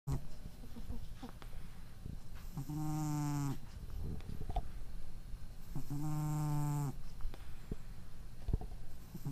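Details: A domestic cat with a nose problem snores while sleeping normally, recorded April 23, 2012: two long, low, buzzy rasping snores about three seconds apart, each lasting roughly a second, with quiet breathing between them.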